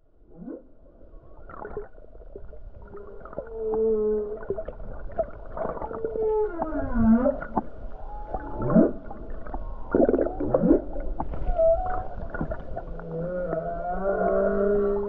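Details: Humpback whale song off the Hawaii coast on a calm day with many whales nearby: a varied series of moans, upswept and downswept whoops, and gurgling pulses, some units rising sharply, with a steady low water rumble underneath.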